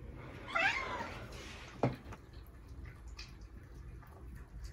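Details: Little black kitten making a fuss over food at mealtime gives a single wavering, slightly rising meow near the start, followed by a sharp click and low background hum.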